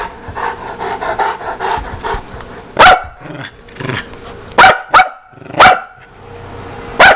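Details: Saint Bernard dog giving loud, sharp barks with a ringing harmonic tone, spaced irregularly over several seconds after a stretch of softer background rustling and murmur.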